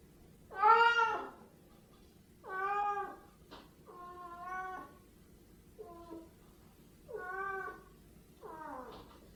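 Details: Siamese cats meowing: six drawn-out, strongly harmonic meows spaced over about nine seconds. The first is loudest, and some end with a falling or bending tone. The room is otherwise quiet.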